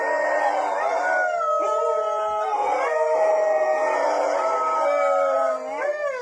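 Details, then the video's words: Several dogs howling loudly together, overlapping sustained tones at different pitches forming a continuous chorus, with wavering and sliding notes and a rising glide near the end. "PERROS AULLANDO (FUERTE) 🐶 Sonidos de Perros Aullando"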